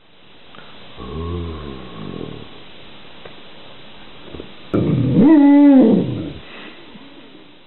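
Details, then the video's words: Golden Retriever "conversation": a low groaning rumble that rises and falls for about a second and a half, then after a pause a louder drawn-out whining howl lasting over a second, steady then sliding down, in a quiet indoor room. "Golden Retriever - Ringo's conversation"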